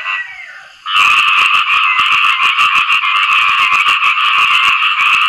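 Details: After rainfall, frogs called khiat i-mo call for mates. A faint hum gives way after about a second to a loud, fast, rattling chorus of overlapping croaks pulsing roughly three times a second.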